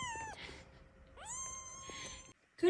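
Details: Kitten still waiting for its bottle, one of a litter of four, gives two long, clear, even-pitched meows about a second apart, with faint rustling between them and a sudden louder sound at the end.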